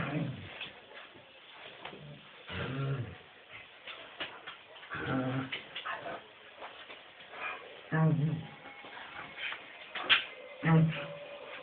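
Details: Squeaker, a pet dog, rolling on her back with legs waving in the air, making low, groaning grunts of satisfaction in uneven bursts every few seconds, heard indoors in a small room.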